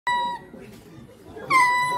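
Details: A ring-tailed lemur at Sóstó Zoo, Nyíregyháza, Hungary, gives two loud, steady, tonal alarm cries, each cut off abruptly.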